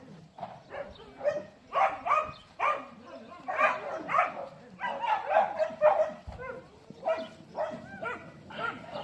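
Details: Dogs give a steady run of short, harsh barks about two per second, some yelping and slightly tonal, with faint low background rumble between bursts.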